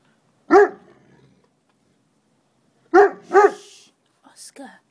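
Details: Two puppies at noisy play, a single sharp yap followed by a quick pair of barks and a soft whine, with a person murmuring nearby.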